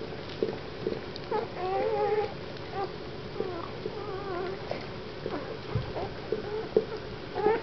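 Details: Weimaraner puppies from a litter born 1 April 2009 in Mladkov u Boskovic, mother Goja z Údolí Vltavínů, indoors; thin wavering whimpers and short whines rise and fall in scattered bursts over rustling and soft human voices.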